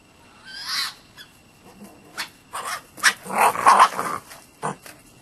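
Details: A red fox (Vulpes vulpes) that visits nightly gives harsh, raspy barks in short irregular bursts after running into a raccoon dog, driving it off.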